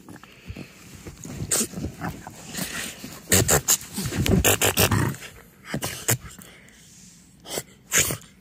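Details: French Bulldog named Timber rolls on fresh blankets on the couch at home, playing; loud bursts of snorting and huffing breaths in clusters, with rustling fabric and a woman's voice talking to him.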